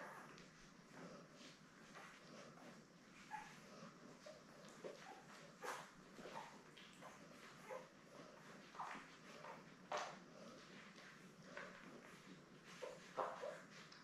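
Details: Seven newborn Labrador Retriever puppies, born May 24, 2021, with their mother Belle on a live puppy cam: faint, brief squeaks and whimpers scattered irregularly, mixed with soft clicks, rustling and bedding noise indoors.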